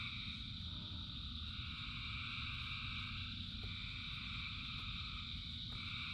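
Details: A dense chorus of frogs calling in the rain, a steady, unbroken wall of high ringing trills with no single voice standing out, over the low, constant patter of rainfall.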